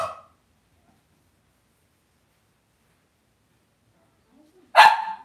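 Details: Cavalier King Charles Spaniel puppies raised indoors in a home puppy pen: a faint clipped yelp at the start, a long quiet stretch, then one sharp, bright bark-like yip near the end.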